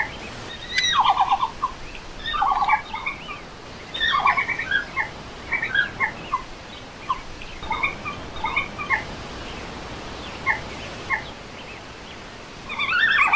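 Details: Red panda (Ailurus fulgens), one of three filmed together, gives short, bird-like twittering calls in bursts every second or two; the species is normally extremely quiet.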